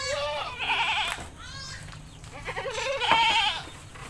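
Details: Goat in an Indonesian village bleating while being bathed, two wavering, quavering bleats with stacked harmonics, the second louder and rising, with a human voice and splashing water.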